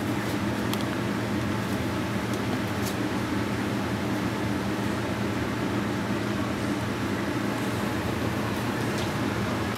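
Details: A steady, loud, fan-like hum fills the room with a few faint clicks and no animal voice.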